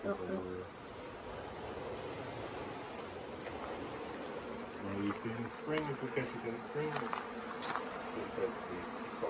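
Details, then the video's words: Honey bees swarming at the Tamarind Tree Hotel late in the year, resisting settling into a nuc box: continuous low buzzing under intermittent human talk that grows in the second half. "Catching a Bee Swarm"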